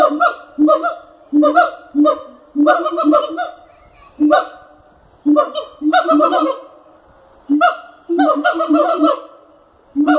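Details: Siamangs calling in a wildlife park enclosure at Cotswold Wildlife Park. Strident honk-like barks come in groups of two to four, separated by short quiet gaps, with a ringing, harmonic quality.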